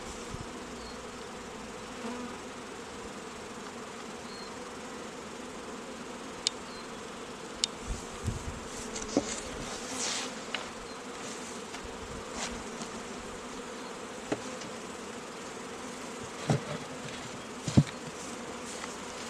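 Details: Honey bees humming at an apiary where queens are being raised from queen cells; a steady low droning buzz with a few clicks and knocks from handling equipment.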